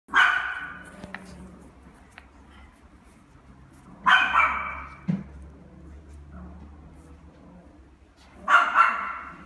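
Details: Pembroke Welsh Corgi puppy at a pet shop in Fuji, Japan, giving three loud sharp barks spaced about four seconds apart, each a single harsh burst, with low hum and quiet background between.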